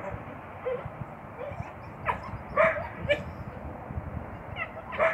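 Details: A captive coyote pair, a male and a spayed female with intact ovaries, give short, sharp yips and thin whines at uneven intervals during courtship in late February mating season.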